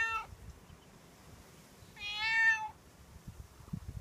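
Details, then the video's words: Outdoor stray tomcat waiting at a door and asking for milk or food: a clipped meow opens, then one clear, drawn-out mewing cry rising slightly and holding steady before stopping, over faint background rustle. "Cat asking for milk / food"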